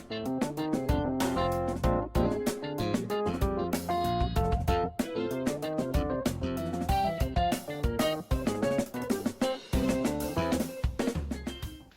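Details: Brisk strummed and plucked guitar music plays throughout with no animal voice.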